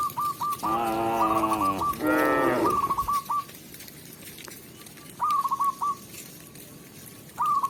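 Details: Tame village cows led back to their pen by a shepherd: two loud, deep moos in the first three seconds, the second shorter and rising, then quiet rural air broken by short repeated chirping bird trills.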